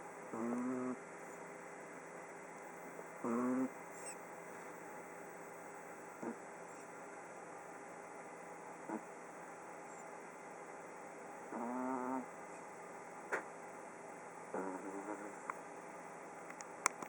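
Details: Sleeping pug named Oliver, day fourteen, snoring in irregular bursts: short nasal rattling snorts, some loud and some faint clicks of breath, spaced unevenly about every three seconds over low steady hum.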